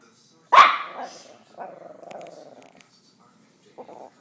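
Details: Indoor pet dog growling at dogs on TV after being told not to bark: one sharp bark-like outburst, then a low rumbling growl of about a second, and a brief grumble at the end.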